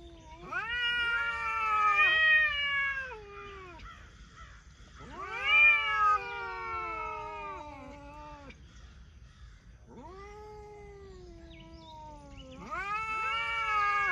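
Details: Cats talking with four long yowling meows spread across the clip, each climbing at the start, bending and sliding down, separated by quiet gaps.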